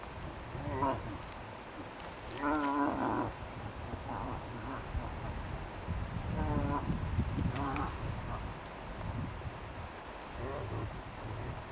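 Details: Moose in Tokke, Norway: a cow moose, accompanying a lured five-point bull, gives short, nasal, wavering bleats, making a lot of noise, over a steady hiss like rain.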